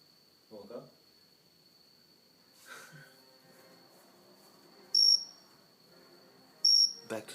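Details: Cricket sitting on a house plant indoors gives two brief shrill chirps late on, after rustling, a soft thump and a man speaking.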